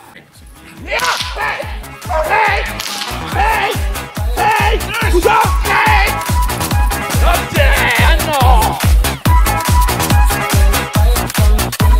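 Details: Loud dance music with a fast, steady thumping beat and melodic layers, with no animal voice audible.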